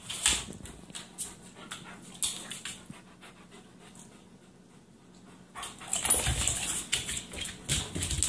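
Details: Great Pyrenees on a couch in a playful duel: faint soft ticking breaths at first, then louder rapid breathy panting fills the last few seconds, mixed with rustling movement.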